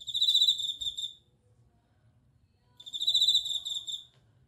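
A bell cricket sings clear, high, ringing trills in two bursts separated by a brief pause.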